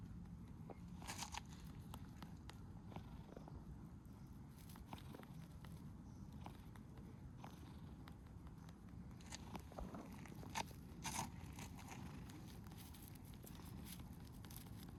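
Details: Sabi-chan, a tortoiseshell cat who freezes when someone comes to see her, purrs in a steady low rumble that runs throughout, broken by scattered clicks, rustling and footstep-like taps.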